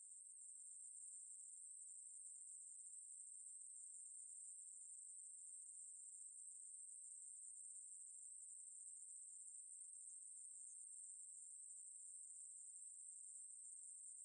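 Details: Ruspolia katydid song from a 2020 National Institute of Biological Resources recording: a continuous, very high-pitched steady buzz that never breaks over fourteen seconds, with no other sounds.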